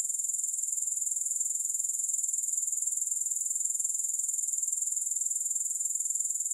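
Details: Grasshoppers heard with no music: an unbroken, shrill, very high chirring trill with rapid even pulses that hold at a constant loudness throughout.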